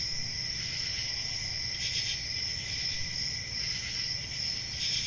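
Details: Dense, unbroken cricket trilling rings at a high pitch. Brief louder swells come at the beginning, around the second mark and near the finish. A gentle low background murmur runs beneath.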